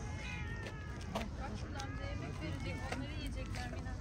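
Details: Street cats outdoors, fed cooked chicken and then playing with a cat toy. Drawn-out, wavering meows over steady low rumbling background noise.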